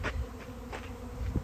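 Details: A honey bee swarm being moved by hand into a nuc and hive box on a hot day, giving a low, steady humming buzz with faint rustling and knocks.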